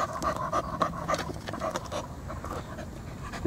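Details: Tired pet poodle panting steadily, rapid soft breathy huffs repeating several times a second with little else heard.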